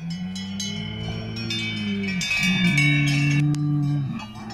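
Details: Salers cattle at a show in Pleaux, Cantal, France, 13 August 2022. Two long, low, steady moos sound under a busy jangle of cowbells and chiming bells.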